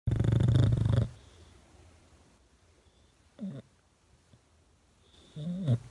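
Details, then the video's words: English Bulldog asleep on its owner's cheek, giving one loud, deep, rumbling snore about a second long, then quiet breathing with two short, softer snorts. "Woke up to my dog snoring on my cheek, English bulldog"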